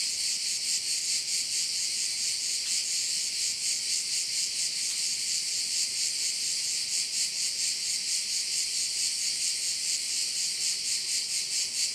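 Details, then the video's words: Insistent high-pitched buzzing of crickets at a Korčula bay in Croatia, rhythmically throbbing around twice a second for the whole stretch, with a couple of faint clicks. "with sounds of crickets"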